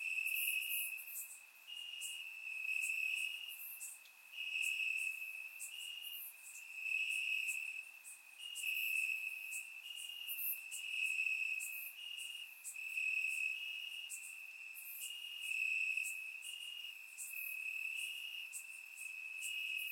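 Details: Night chorus of crickets chirping in the grass on a warm summer night, Bulgaria, surround-microphone recording: a sustained high trill rising and falling in regular waves about every one and a half seconds, with higher chirps scattered throughout.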